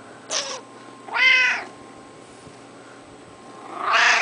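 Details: Pet tomcat Screamer voicing meows during petting: a brief high chirp, then a fuller drawn-out meow, and another loud meow beginning at the end, with quiet room hum between.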